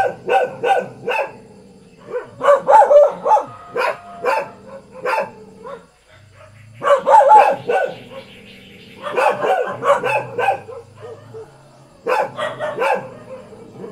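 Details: Ordinary Thai house dog barking in uneven volleys of sharp, harsh barks, with short gaps between groups and a brief muffled stretch before the barking resumes.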